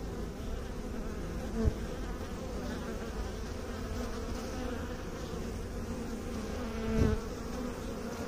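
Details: Low, continuous buzzing drone of bees, steady and dense, with two short knocking sounds standing out near the start and near the end.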